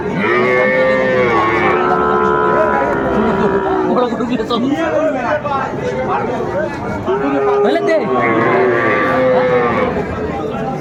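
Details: Little bull calves at a crowded Comilla market in Bangladesh, 6 January 2025. Two long, steady lowing calls about six seconds apart dominate, with bargaining voices filling the gap between them.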